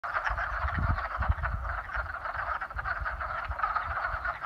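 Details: Frogs in a spring mating chorus, a dense continuous croaking buzz of many callers with rapid pulsed trills, steady throughout, with low rumbling thumps underneath.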